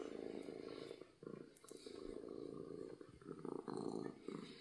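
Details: Loud purring of a happy domestic cat, a steady low vibrating drone broken by short dips between breaths, with the last second growing stronger.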